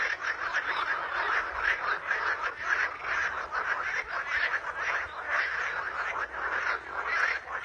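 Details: A crowded frog chorus outdoors, rapid grating croaks pulsing in overlapping waves, steady and unbroken, with many animals calling at once.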